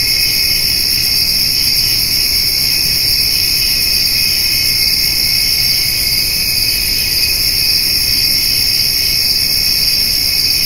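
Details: On a summer evening, a dense, steady chorus of crickets and grasshoppers trills continuously in high, shimmering bands while a white-tailed doe and her spotted fawn eat hay.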